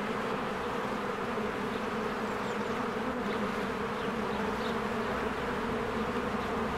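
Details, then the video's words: Honeybees busy at a cozy hive in springtime, a constant swarm hum with strong low buzzing bands, and a few brief faint bird chirps rising above the drone. "1 Hour of a Beehive ASMR"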